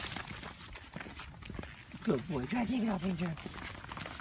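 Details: A husky gives a wavering, warbling vocalization lasting about a second and a half, rising and falling in pitch like talking, with a faint background of murmured speech and clattering noise.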